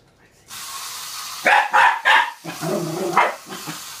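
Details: Cairn Terrier barking at a toy rat: three sharp, loud barks in quick succession, then lower, rougher barks and grumbles, over a steady background hiss.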